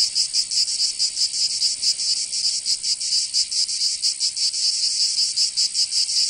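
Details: Cicadas in Provence, southern France, during summer, giving a harsh, high-pitched buzzing drone. The pulses are slightly uneven and the strength wavers from beat to beat.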